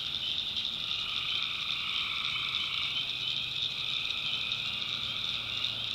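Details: Tree frogs calling at night in a swamp in the backwoods of North Carolina: a dense, unbroken, shrill chorus of many overlapping callers, with a fainter lower droning band beneath and a soft low rumble.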